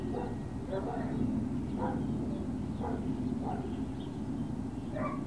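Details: Great Dane puppies at Puppy Hill, 21 March 2019, around 11 a.m. to noon, give sharp, bright yips roughly every half second to second, each short with rising overtones, against a constant low droning hum.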